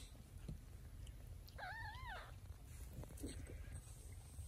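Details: Domestic cat: a mother cat carrying her kittens in her mouth to safety, indoors. A single clear, arching mew with stacked harmonics rises and falls in under a second, over a steady low rumble and soft rustling.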